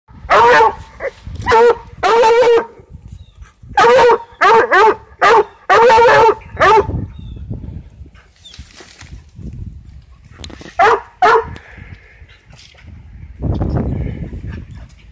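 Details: Coonhound chasing a cat: loud, deep, ringing bays in quick bursts of two to four, repeated for about seven seconds, then a quiet pause and two more bays near the end, followed by a soft rustling.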